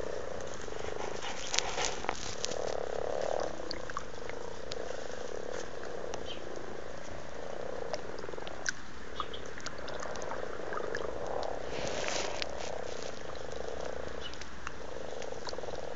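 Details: Very amorous frogs in a garden pond in Blarney, County Cork, Ireland, in February 2012. A steady low purring croak chorus runs throughout, swelling in places, with soft clicks and splashes.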